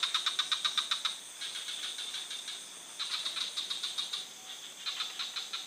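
A frog gives high, rapid clicking pulses in quick bursts, several notes each second.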